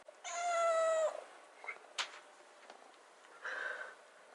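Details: Young rescued kitten staying by the fridge, begging for wet food instead of dry food: a strong meow that drops at its end, a sharp knock, then a shorter, softer meow.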